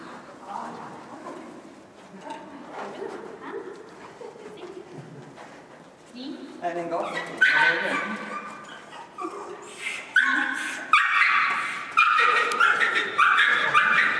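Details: Young male Schapendoes at dog agility training on March 9, 2015, working with a handler he is meeting for the first time. A person talks quietly at first, then the dog breaks into a run of excited high yips and whines.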